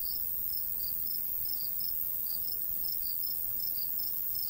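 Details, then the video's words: Countryside crickets in summertime near a golden wheat field; sharp high chirps in short bursts, several callers overlapping irregularly, over a faint breeze hiss. "Countryside/cricket sounds"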